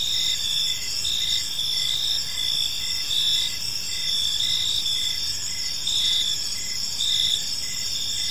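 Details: High, dense cricket chirping in a park as evening falls, several pulsing layers recurring about every second, accompanied by a soft steady rush of background noise.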